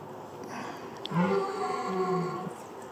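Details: A red deer stag lying in bracken on a misty October morning in Bushy Park, Surrey, UK, bellows: a low, rough, harmonically rich groan held over a second, then a second drawn-out moan, amid faint hiss.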